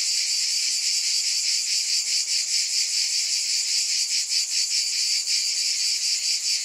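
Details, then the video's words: Steady, shrill cicada buzzing fills the air, a thick high hiss that throbs slightly about twice a second, uninterrupted throughout. "Scintillating Cicadas"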